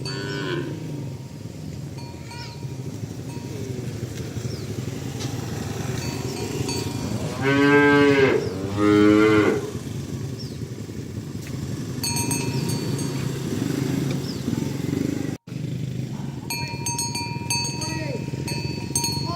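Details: Morning herd of tame cows moving along village roads to the pen; two moos in quick succession near the middle, set against a low rumbling background, with cowbells ringing later.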